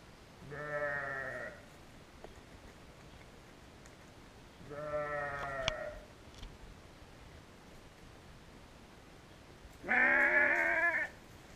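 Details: Several sheep recorded on a GoPro Hero: three loud, harmonic bleats of about a second each, the first two moderate and evenly spaced, the last the loudest and brightest, with quiet pauses between.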